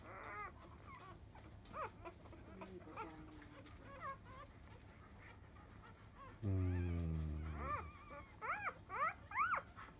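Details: Field-type Labrador Retriever puppies, five days old, nursing at 10 a.m. from their mother biscuit; high squeaky whimpers rising and falling in scattered bursts, a lower drawn-out voice in the middle, then quick squeals at the end.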